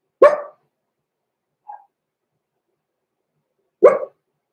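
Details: Six-week-old Cavalier King Charles Spaniel puppies, blenheim pups Roman and Blue, inside a home puppy pen. Two separate high, sharp barks spaced over three seconds apart, with a brief faint whine between them.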